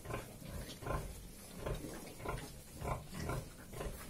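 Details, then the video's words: Sow feeding her little piglets as they suckle, giving soft, low, rhythmic grunts about every half second to second, with muffled shuffling in the background. "Mum feeding little pigs | Sucking Little piglets"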